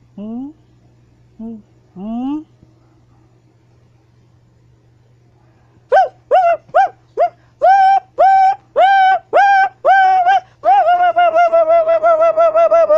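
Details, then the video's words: Siamang gibbon swinging and hanging on a wire, whooping and shouting: a few soft rising hoots, a pause, then a loud series of tonal whoops about every half second, speeding into a rapid stuttering run. "Siamang Ape Is Hanging And Swinging While Howling"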